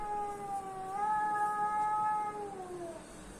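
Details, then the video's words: House cat reacting to other cats' sounds: a sustained, steady moaning yowl lasting over three seconds, stepping up slightly after the start, holding level, then sagging downward at the close. "Cats reaction to weird cat noises"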